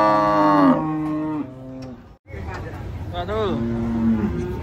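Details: Cattle being unloaded from a truck: a long, deep moo that falls and levels off, then a shorter rising-and-falling moo about two seconds later, with music playing faintly underneath.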